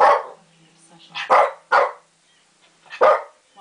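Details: Shih Tzu barking at lions shown on TV: three to four sharp, loud, irregular barks spaced about half a second to a second apart, with faint television voices underneath.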